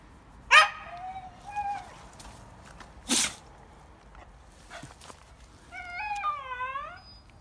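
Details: Female Hokkaido dog (Ainu dog) at a family home in Hokkaido, described as a brave dog that does not flinch at bears and as one that talks: a sharp yelp, short whines, a brief noise burst, then a long wavering, talkative moan.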